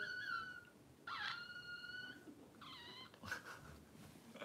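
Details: Puppy whines from a livestream held while the power was out: three clear, piercing, harmonic cries about a second apart, the middle one rising and bending, followed by a few soft clicks and a brief rustle.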